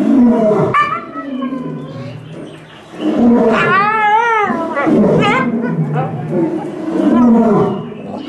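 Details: Captive timber wolf named Garuru at Utsunomiya Zoo, Japan, whose howl is said to differ clearly from the other wolves'. Loud, rough, harmonic howling phrases recur, one mid-clip wavering up and down in quick ripples before the calls resume.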